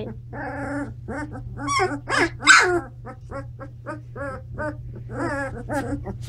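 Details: Seventeen-day-old Standard Poodle puppies filmed on October 28th in their bigger home: rapid series of squeaky whimpers and yips, one louder squeal midway, over a constant low electrical hum.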